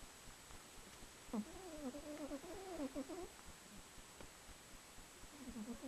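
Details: Buffy, a female pet cat who rarely snores, caught on camcorder during recent cold weather: soft, wavering, whistly nasal tones rising and falling over about two seconds, with quiet gaps of breathing before and after.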